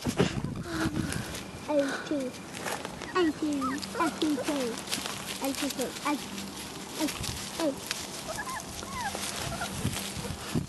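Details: Thirty-day-old Vizsla puppies from Kalì and Fiuto's litter make many brief, squeaky, rising yelps and whines in quick scattered bursts, with a steady low hum and occasional human voices.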